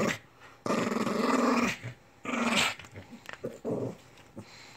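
A Lhasa Apso gives a long, rough growl, then a shorter snarling burst.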